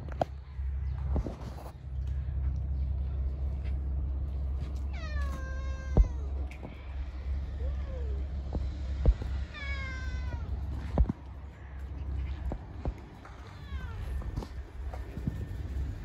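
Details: Hungry stray cats living on the street meowing: several drawn-out, harmonic meows falling in pitch, spaced a few seconds apart, over a steady low hum and occasional clicks and knocks.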